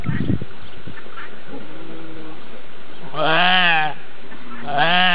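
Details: Hungarian Racka sheep during a lamb's birth, giving two strong, trembling bleats near the end, the first long and wavering, after quiet shuffling sounds.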